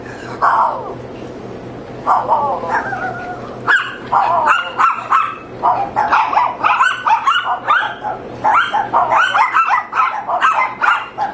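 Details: Neighbour's dogs barking: a few spaced, sharp, harmonic barks, then a quickening run of about two barks a second from four seconds on, over a steady low hum.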